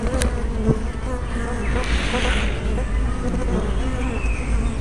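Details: Hive entrance of honey bees, recorded 24 May 2012 with a spy camera fitted with a fisheye lens; a dense, low, steady droning hum with faint passing buzzes and a brief hiss midway.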